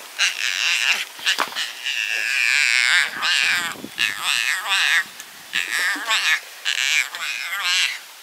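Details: Rescued baby Yucatan black howler monkey crying and yelling in anger at other monkeys in its rescue family: loud, sustained raspy squeals and wavering cries in long bursts with short gaps.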